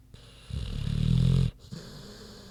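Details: Queenie, a big pig, snoring while asleep: one long, deep, rumbling breath lasting about a second, pitched low and steady, then quiet breathing.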